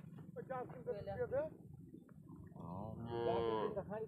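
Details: Smuggled cow from across the Indian border on a Padma river char: human speech at first, then a rising, drawn-out moo over a steady low hum.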